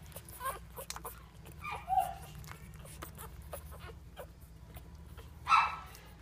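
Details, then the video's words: Boston Bulldog puppies at dinner time give two short whining yips, around two and five and a half seconds in, over a low steady hum and scattered soft clicks. "My Beautiful Boston Bulldog Puppies ❤️❤️ Dinner Time!!"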